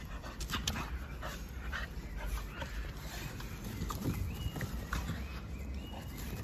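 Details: A Staffordshire Bull Terrier in Salvador, Bahia, pants heavily, with rapid breathy huffs and snuffles close to the microphone.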